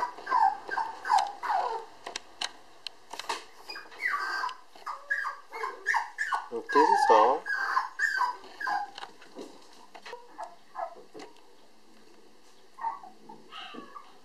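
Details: A female Toy Poodle puppy born July 19, weighing 800 g, described as affectionate and fond of people, giving a rapid string of high squeaky whimpers and whines, loudest midway, fading into scattered cries, with handling noises and clicks.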